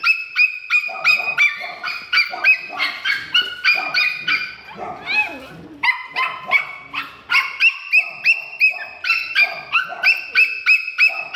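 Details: Dog in a pet shop giving rapid, high, sharp yips about three per second in an insistent run, with a brief softer pause midway before the yapping resumes just as steadily.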